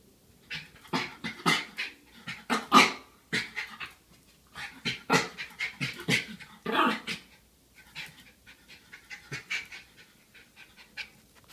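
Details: Schipperke dog reacting at night to something going bump, giving a run of short, breathy, muffled huffs and soft woofs in irregular bursts, several per second, quieting toward the end, in a small indoor room.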